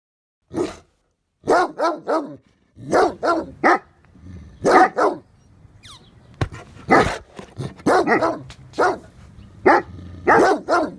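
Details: Great Dane, also called German Mastiff, barking: deep, loud single and double woofs in irregular bursts, often paired, spread across eleven seconds with short quiet gaps between volleys.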